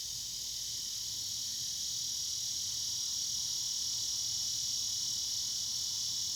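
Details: On an evening, a cicada sings a steady, high buzzing drone that carries on without pause.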